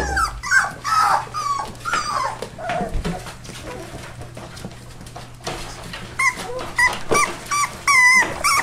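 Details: Four-week-old rescue puppies, a Labrador and hound mix, whimper and whine in short high rising and falling cries, several overlapping, with bursts of squeaky yips and a low steady hum underneath.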